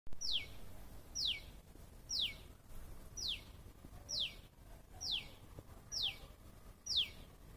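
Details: Squirrel calling with sharp, high downward-sweeping chirps, eight of them evenly spaced about once a second, each dropping quickly from a thin high squeak; faint low background rumble.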